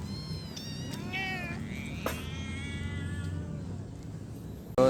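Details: Rescued kitten's drawn-out plaintive meow, a long harmonic cry that dips and then holds steady, followed by a shorter call and a sudden loud knock at the end.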